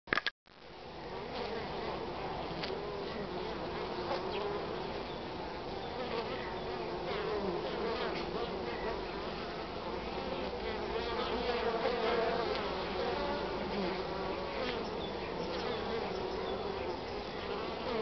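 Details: Honey bees in the north of the country on 8 March, gathering pollen from nature for the first time this spring; a dense, steady droning hum of many bees with passing individual buzzes, after a brief click at the start.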